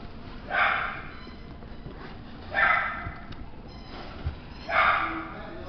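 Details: Chihuahua barking three times, each bark a bright, mid-pitched yap spaced about two seconds apart over a muffled background.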